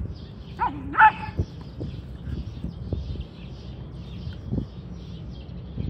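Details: Happy whippet letting out a sudden yelp-like bark with a short whine just before it, followed by softer scuffling and thumping noises outdoors.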